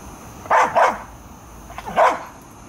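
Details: Airedale Terriers Bailey and Lexie at work keeping a yard free of varmints; two quick loud barks, a short gap, then a fainter bark followed by another strong one.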